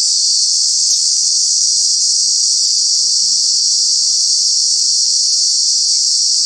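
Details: Cicada, a true bug of Kanha National Park heard in the summer months, producing a constant piercing buzz at one even pitch, with a soft low hum in the background for the first few seconds.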